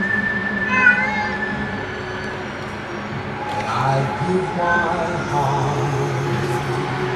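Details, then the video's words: Domestic cat meowing in reaction to whistle sounds: short, pitched meows rising and falling, heard near the start and again midway, over a steady background hum with whistling tones. "Jackmeow the cat reacts to whistle sounds"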